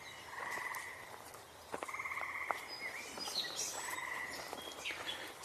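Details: Frogs give three buzzy, pulsed trills of about a second each with short gaps between, on 14 June 2025. Scattered higher bird chirps and calls sound in the background, including swamp sparrow, song sparrow, catbird, robin and wood thrush.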